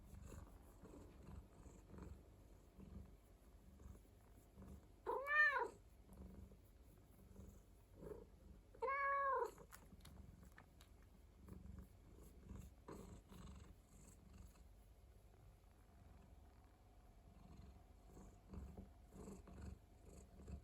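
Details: Indoor rescued cat purring softly throughout, broken by two bright bent meows at about five and nine seconds, with faint low rumbling between them.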